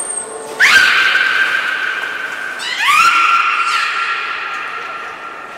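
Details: Beluga during training at Port of Nagoya Public Aquarium, 6 May 2017, with belugas Nana and Mirai: two rising, tonal whistled calls, each sliding up then holding a steady pitch, about two seconds apart, after a brief high tone.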